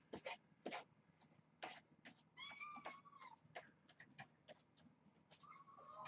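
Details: Hungry kittens in rambunctious play before breakfast at Purrfect Pals give a high, drawn-out meow with stacked harmonics that slides downward, then a shorter, level mew near the end, amid sharp clatters, thumps and scratching.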